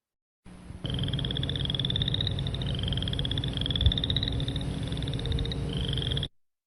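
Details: Several boreal chorus frogs (Pseudacris maculata) in a wetland chorus give overlapping rising, rasping pulsed trills, like a fingernail run over a comb's teeth, above a low background rumble.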